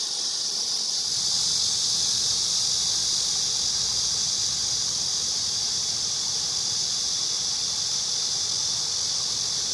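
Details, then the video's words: A cicada keeps up a loud, steady, high hissing whine with no gaps; faint low rumble sits beneath it. "매미 소리"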